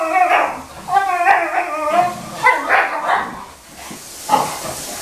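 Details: Boxer Bailey pestering his older sister Scarlett indoors: a run of harmonic, wavering whines and yelping barks in quick clusters, some rising then falling, with short pauses between bursts.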